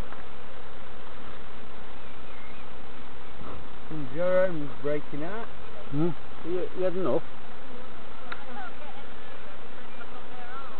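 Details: Bees at hives at Summerwood Lane Allotments and Community Garden, checked by novice beekeepers: a steady, dense buzzing hum throughout, with human voices talking in the middle of the recording.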